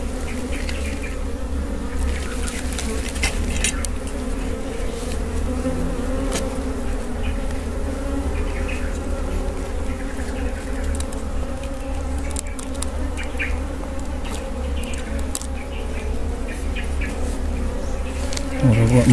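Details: Continuous low buzzing of wild honey bees around a wild honey harvest, a dense, even hum lasting the whole stretch, with faint scattered clicks and rustles.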